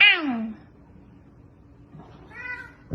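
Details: Pet cat indoors giving a short falling meow that slides downward, followed after a pause by a softer, brief second meow, with a low room hum underneath.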